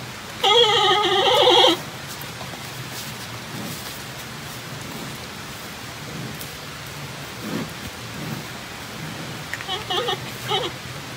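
A giant panda gives a loud, nasal, goat-like bleat, then fainter repeats over steady rain.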